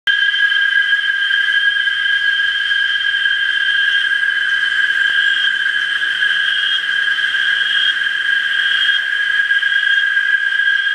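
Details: A dense cicada chorus in Parque del Bicentenario, San Salvador, El Salvador, gives a steady, shrill drone that holds unbroken from start to finish.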